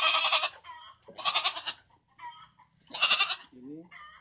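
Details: Goats at a feeder-goat pen, bought for fattening ahead of the Eid al-Adha harvest; loud, nasal, wavering bleats in three bursts about a second apart, with a lower rising call near the end and faint speech.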